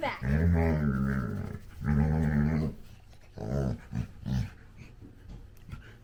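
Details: A female Labrador Retriever puppy playing with her dad makes low, drawn-out, grumbling growls, then a few shorter grunts. Identified as a Labrador Retriever.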